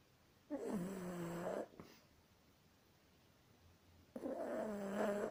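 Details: Snoring pug, two long rattling breaths about a second each, separated by a quiet pause, rough buzzy tone with stacked harmonics, in a quiet room.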